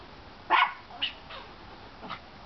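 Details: Chihuahua barking at a squirrel up a tree: one loud, sharp bark near the half-second mark, followed by a few fainter, shorter yips, with a woman speaking softly to the dog.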